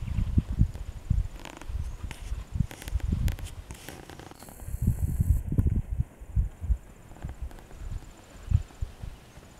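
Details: Welsh Cob horse in harness breaking, being put to a vehicle, outdoors; dull low hoof thuds land unevenly, several per second, with scraping and rustling of movement between them.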